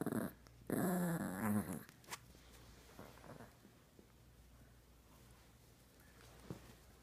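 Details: Chihuahua humping a toy monkey gives a short rasping growl in two quick bursts at the start, then falls mostly quiet with a faint low hum and an occasional soft click.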